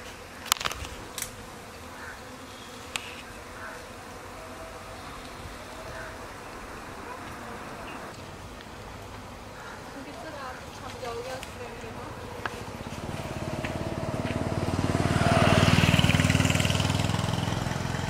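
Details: Honey bee swarm forming a new colony after swarming, having settled on mango trees, being caught and put into a hive box: steady low buzzing hum under Hindi voices, a few sharp clicks, then a louder rushing swell near the end.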